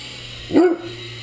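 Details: One short, full-throated bark from a Great Dane playing with a flying RC helicopter, set against the toy's continuous high-pitched hum.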